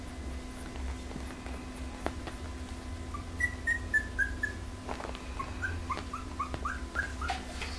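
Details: Pembroke Welsh Corgi litter from the Preberry kennel, from Image Čičiko and Danny Toivu My Delight: a falling series of thin whimpering squeaks, then brief rising yelps after a pause, low electrical hum underneath.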